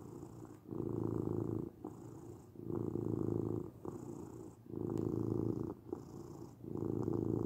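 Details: Close domestic cat purr, a continuous low rumble pulsing with each breath about every second and a half, soft faint hiss between louder exhale phases.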